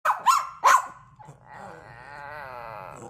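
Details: Dog in a bark-off battle: three sharp, loud barks within the first second, then a quieter, drawn-out, wavering howl-like tone that slowly falls in pitch until the end.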